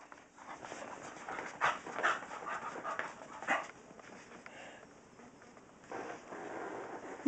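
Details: A female Staffordshire Terrier chasing her tail indoors, giving rapid, irregular breathy pants with short scuffling bursts, roughly two to three per second, loudest around the middle and end.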